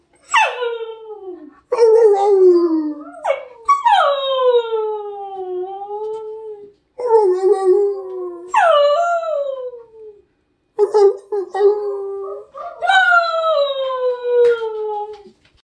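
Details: Siberian Husky howling and talking in a run of about eight expressive calls, each starting high and sliding down into a wavering, yodelling howl, separated by short gaps, fairly clean with nothing else heard.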